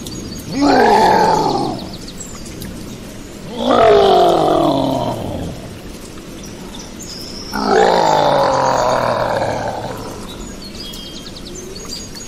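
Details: Gorilla letting out three loud, harsh roars a few seconds apart, each starting high and sliding downward in a rough, noisy sweep before fading into steady background hiss.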